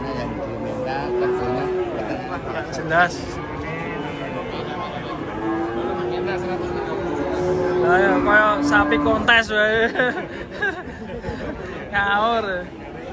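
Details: Cattle being unloaded from a truck: a long, level low moo lasting about three seconds, with shorter lowing before it, mixed with people talking and shouting loudly, plus a brief knock.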